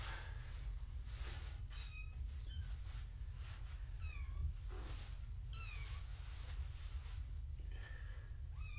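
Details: Gaia's foster kittens moved into a new, larger room for a weigh-in: repeated thin, high, falling mews from several kittens, roughly every second, over constant low hum with occasional bumps.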